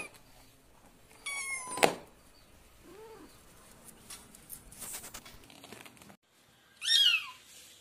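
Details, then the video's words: Domestic cat and kitten meowing indoors: a sharp, strained high meow, a faint short low mew a second later, then after near-silence a bright, falling high-pitched cry at the end, with some shuffling noise between. "Cute Cat and lovely Kitten Voice"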